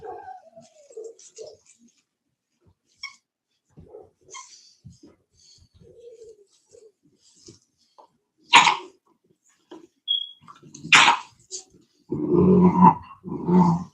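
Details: Cane Corso (Italian Mastiff) from a breeder west of Nashville, Tennessee, mostly quiet with soft scattered snuffles, then sharp bursts near the middle and two deep, rumbling harmonic barks or growls at the end.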